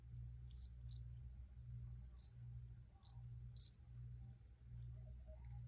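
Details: Recorded crickets giving scattered short, high chirps, some in quick pairs, separated by quiet gaps, with a constant low background hum.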